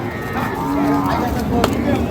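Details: Dairy cows with calves, of Sahiwal, Sindhi and local breeds, at the Ambari cattle market in Parbatipur, Dinajpur, Bangladesh, on Friday 1 August 2025: a steady, drawn-out low moo over crowd chatter.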